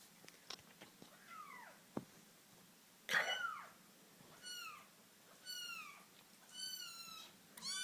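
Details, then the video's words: British Shorthair kitten siblings fighting and playing indoors: a series of high, clear meows that rise and fall, about six in eight seconds, with one harsh, noisy squall near the middle and soft scuffling between calls. "Sweet British Shorthair Kitten fighting"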